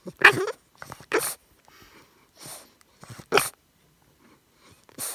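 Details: A 13-week-old English Bulldog puppy, living in a converted van and burning off its last burst of energy, gives a string of short, harsh snorting and sneezing bursts with brief silences between, about five in five seconds.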